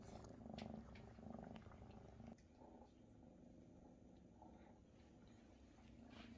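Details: Purring of large Maine Coon kittens as their mother Luna feeds and tends them; a continuous low vibrating rumble swelling in rhythmic pulses during the first seconds, then a quieter even hum in a small room.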